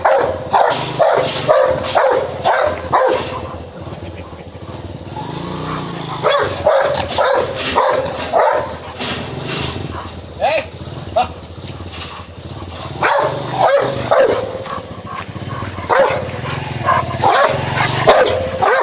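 A Rottweiler barks in rapid, harsh bursts, roughly two per second, with some background noise.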